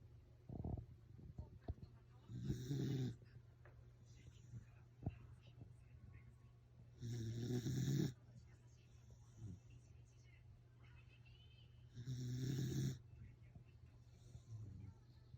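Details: Welsh corgi snoring while asleep: three long, rough, low breaths at roughly five-second intervals, each a broad rasping burst, with small clicks and a steady low hum between them.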